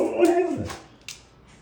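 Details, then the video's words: Pet husky at home indoors, making noises: a short, whiny, moaning vocalization lasting about half a second, steady and then dropping in pitch at the end, followed by faint clicks in a small room. "Making noises and been crazy!"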